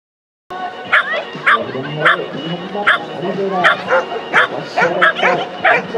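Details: Standard Poodle barking during an agility run at the OPDES Agility Games in Akigase; sharp barks repeat roughly every half second to second after an initial silence, with a man talking and music behind.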